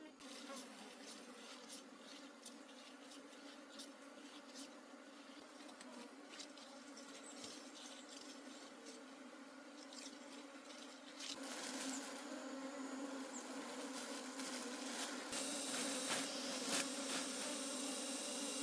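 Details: Wild honey bee colony in a forest during a honey harvest: a steady, low droning buzz holds throughout, growing louder and denser after about eleven seconds, with scattered crackles and rustling from handling.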